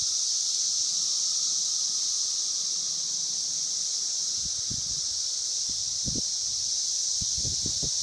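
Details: A steady, high, hissing chorus of Brood 17-year periodical cicadas (Magicicada) in Logan, Ohio, drones on without a break, with a few low thumps.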